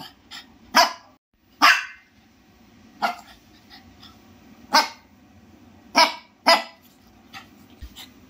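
A Shih Tzu gives sharp, high-pitched barks, singly and in quick pairs, every second or so.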